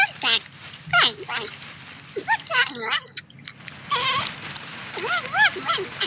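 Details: A porcupine feeding on corn utters short, wavering, crying notes that swoop up and down, scattered across six seconds amid crisp crunching and chewing noises.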